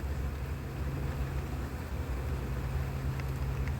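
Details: Steady low rumble like engine or wind noise, with a faint hiss and no animal calls.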